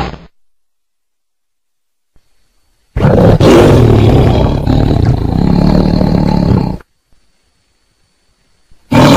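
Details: Tiger letting out a single sustained, throaty roar lasting about four seconds, rough and low-pitched, with silence before and after and another roar just beginning at the end.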